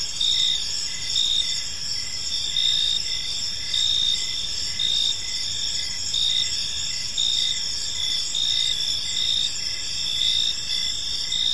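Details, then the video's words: Gentle cricket chirping in a serene park at evening: continuous high trilling from many insects, periodic louder chirp bursts repeating evenly, no birds or voices. "Park Serenade: Cricket Sounds in a Peaceful Park | Evening Ambience"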